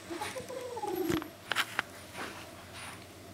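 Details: Kitten guarding a toy answers threats with an owl-like call, a drawn-out, wavering tone that slides downward, then brief sharp clicks and light knocking.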